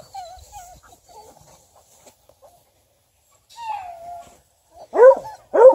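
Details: A young female Bluetick Coonhound, ten months old, whines in wavering high tones, pauses, gives a long falling whine, then ends with two sharp, loud barks about half a second apart.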